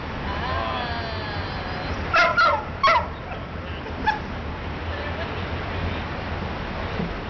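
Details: Dogs at play in a dog run in midtown Manhattan, New York City: three or four sharp barks come in a quick cluster midway, over steady city hum and traffic noise.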